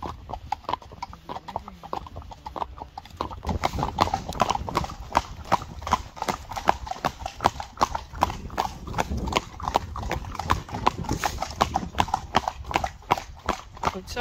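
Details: Working Friesian mare's hooves, one of a farm's 25 Friesian horses: a few soft sounds, then from about three seconds a loud, steady run of clip-clop strikes near 80 a minute, continuing to the end.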